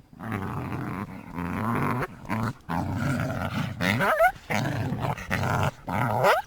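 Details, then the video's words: North American coyote growling in long, rough, low rumbles broken by short pauses, with a quick rising yip partway through. "The sound of a Coyote"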